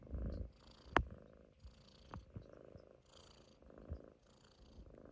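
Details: A Munchkin kitten dozes on a person's stomach, its quiet wheezy snores coming in regular breaths, overlaid with a few sharp clicks and rustling from body movement.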